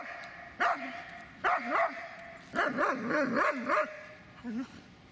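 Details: Dobermann Magmar von der Burgstätte barking in quick runs of short, bouncing woofs with a yodelling rise and fall, ending in a softer bark.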